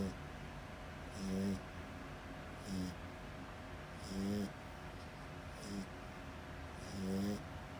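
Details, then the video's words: Asleep French Bulldog snoring loudly: five rasping, nasal snores spaced roughly one to two seconds apart, each a short rough buzz with a low hum beneath, over a quiet indoor background. "FRENCH BULLDOG LOUD SNORING"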